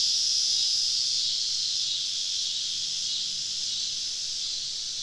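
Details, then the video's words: Southern summer evening in deep woods, where a crowd of cicadas makes a continuous high shrill drone, loudest at first and easing slightly, with a faint whistle near the start. "Southern Evening Summer Cicada Symphony"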